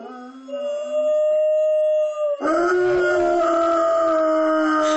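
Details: Two pet dogs howling along with a passing firetruck siren, long steady wailing tones that jump higher midway, the siren's sustained pitch blending with the drawn-out howls.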